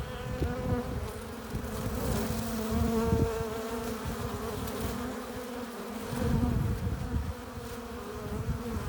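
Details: Honey bees crowding a hive entrance as they return with nectar and pollen, a continuous tonal drone rising and falling in loudness, with passing bees adding brief higher whines.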